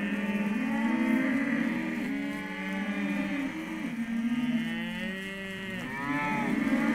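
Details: Hereford calves in a sale lot calling together, several overlapping moos at slightly different pitches, some rising and falling, forming a continuous chorus of bellowing.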